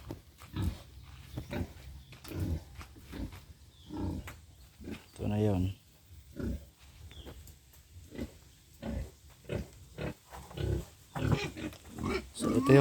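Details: Pig raised as a future sow on a small backyard farm gives scattered low grunts in its pen, mixed with a man speaking at intervals.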